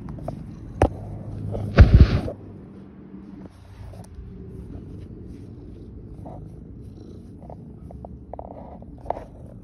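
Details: Rescue tabby cat in Philadelphia, Pennsylvania, purring as it is kissed: a soft, continuous low rumble under a loud close kiss burst around two seconds, followed by small clicks and rustles.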